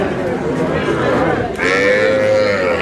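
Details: Sahiwal breed bull calf bought by a farmer from Brahmanbaria, Bangladesh, on 20 May; after a second and a half a long, steady, mid-pitched moo holds level and fades slightly, under constant human chatter.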